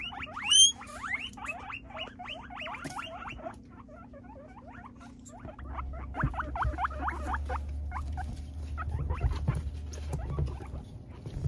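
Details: Pet guinea pigs, including a Peruvian guinea pig about to have his first haircut, at vegetable-feeding time; quick rising squeaks run for several seconds, then thin out into softer chirps beneath rustling and a low rumbling background.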